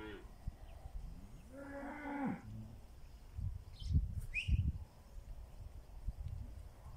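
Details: Rainy-morning drive of Pinzgauer cattle to summer grazing in South Africa: a short rising-then-falling moo early on, followed by low thumps and rumbling movement noise.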